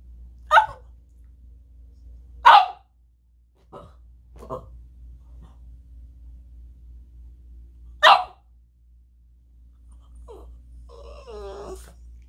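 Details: Boston Terrier throwing a fit: loud, harsh barks spaced a few seconds apart with softer yips between, ending in a wavering, whiny, harmonic whimper, over a low constant background hum.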